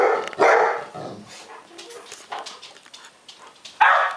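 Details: Frightened by a laughing lion toy, pet Golden Retrievers Charlie and Jake let out a sharp bark at the start and another at the end, with quieter scuffling and faint vocal sounds in between.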